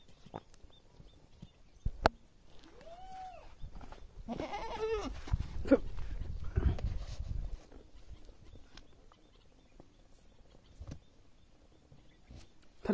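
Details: Goat in a village giving a few short, wavering bleats in the first half, one more drawn-out and shaky, over low rumbling background noise and scattered clicks.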